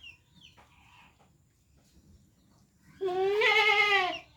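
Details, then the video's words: A single loud, quavering goat bleat lasting about a second arrives after three seconds of quiet, preceded by faint high chirps in the background. "Cute Goat Sound Video|Beautiful Goat Sound Effect"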